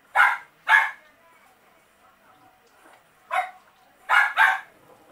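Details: One-day-old Miniature Pinscher puppies from a litter give short, harsh squealing cries: a quick pair, a lone cry about two and a half seconds later, then another close pair, with near silence between them.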